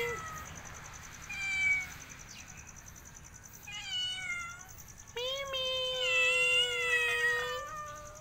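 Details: ['House cat calling repeatedly: a few short, softer mews early on, then a long, strong, level meow lasting over two seconds that wavers slightly before fading, with a faint constant high hum behind.']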